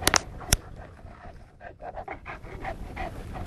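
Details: Male Neapolitan Mastiff panting in steady breathy bursts, close to three per second, with a few sharp clicks near the start.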